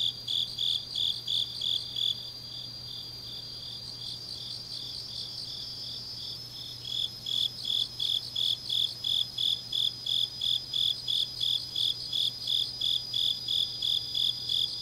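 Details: Grass insects calling late on an autumn night in Changnyeong, South Gyeongsang Province: high rhythmic chirps pause for several seconds while a softer trilling ring continues, then resume strongly at about three pulses per second; steady low hum throughout.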